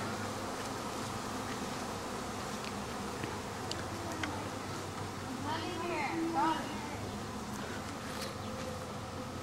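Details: Honey bee swarm, the colony swarming again a week later; a softer, continuous humming drone holds steady from start to finish, with a brief human voice near the middle.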